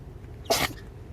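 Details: A small Pomeranian gives one quick, breathy sneeze, a sudden airy snort lasting a quarter second, over faint room hum; recorded 26 September 2016, one of a bout of about ten sneezes.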